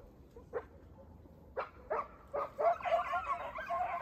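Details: Segugio Italiano puppies, 8 and 17 months old, with their father Geko: scattered single barks building into a dense chorus of overlapping yelps and baying toward the end.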